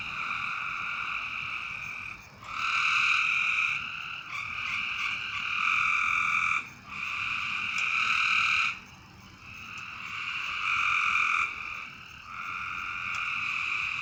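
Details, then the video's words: Frogs calling at night: long, nasal, harmonic notes of about one to two seconds, repeated with short gaps and sometimes overlapping, over a steady hiss of background noise. "A Strange Night Sound? And Frogs!"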